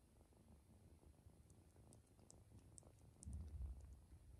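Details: Adopted ginger kitten indoors among siblings settling for a nap after lunch: a soft, low continuous purring rumble, louder toward the end, with faint high ticking sounds above.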